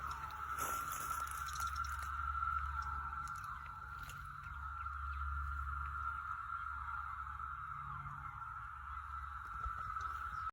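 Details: Likely over 10,000 cicadas, near and far, in May 2021 at Stephens City, Virginia, emerging for the first time in 17 years, merge into one steady, droning, high-pitched hum.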